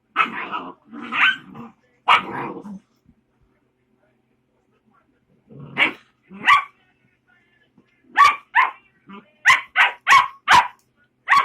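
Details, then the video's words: A puppy yaps in sharp high bursts: three rough barks at the start, a pause, two more, then a rapid string of bright yips closing out the recording. "Puppy making noise"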